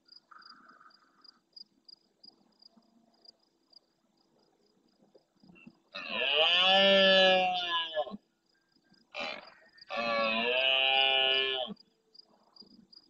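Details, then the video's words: Large red deer stag roaring intensely at nightfall close to a live camera in the Doñana National Park marsh at El Rocío, Huelva, Spain, answering distant stags: two long, harsh, moaning roars a few seconds apart, with a short grunt between, then quiet with faint ticking. "Berrea nocturna en primer plano"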